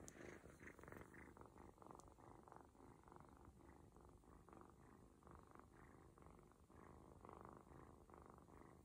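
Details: Purring of an adopted ginger kitten, separated early from its mother, enjoying a stomach massage indoors; continuous rhythmic rumbling purr with regular pulsing, close and clear, no other sounds.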